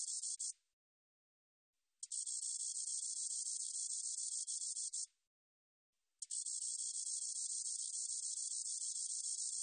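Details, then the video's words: Katydid song from the National Institute of Biological Resources, 2020: sustained high shimmering buzzes lasting three to four seconds each, cut off abruptly and followed by about a second of silence before the next burst. "점박이쌕쌔기, 1번 듣기, 곤충소리"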